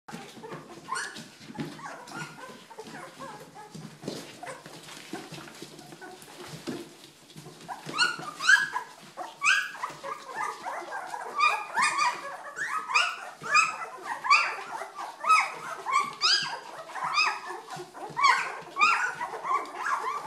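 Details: Two-week-old Old English Sheepdog puppies, quiet and rustling at first, then a dense chorus of high squeaky whimpers and short squeals from several pups overlapping for the last twelve seconds.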